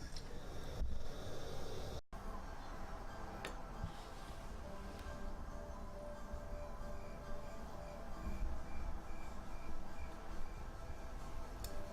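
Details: Music plays under speech and a steady low rumble, with a few clicks and a short break near two seconds.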